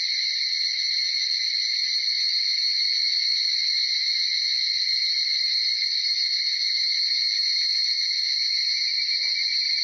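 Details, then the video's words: Evening cicadas (higurashi, Tanna japonensis) in an early morning chorus between about 4:30 and 5 a.m. in Uda, Nara, Japan; a dense, continuous shrill ringing holds steady throughout, with no breaks and no other sounds. "早朝の蝉しぐれ（ひぐらし） Tanna japonensis"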